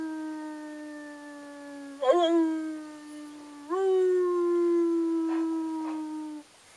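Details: Three pet dogs howling together, making a loud noise; long sustained tonal howls hold a steady pitch that steps up abruptly twice, with rich harmonics, before ending in quiet.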